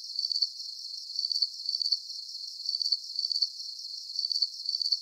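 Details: Shrill cricket chirps in quick, slightly uneven bursts, about two per second, with a faint, continuous high hiss of more distant crickets behind.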